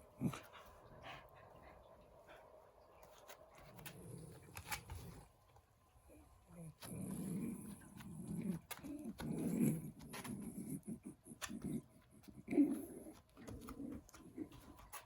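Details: Male Shiba Inu rescue dog with pollen allergy during hay fever season, sneezing and reverse sneezing repeatedly with labored breathing: low, rough snorting gasps in bursts, strongest midway, separated by quiet pauses and light clicks.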